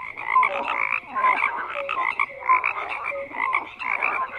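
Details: Frogs croaking in chorus, loud rasping bursts roughly twice a second interspersed with short piping notes, no other sounds present.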